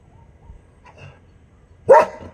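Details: Dog on guard in India in the morning sun, calling to friends who have wandered off the empty road: a single sharp bark after quiet background.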